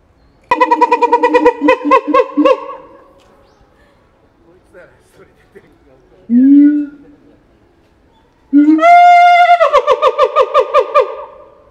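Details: Keiji the siamang at Higashiyama Zoo, Japan, calling loudly on 17 January 2023, FUJIFILM X-S10 camera: rapid runs of harmonic pulsed barks about three per second, a single low boom, then a rising wail sliding into another fast pulsed series.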